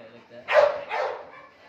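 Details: Two loud, broad barks from Oscar, a pedigree male British Labrador Retriever, the second slightly softer, with a man calling him inside in Hindi.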